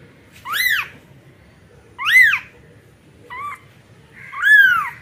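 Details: Kitten; distress call; newborn calling for its mother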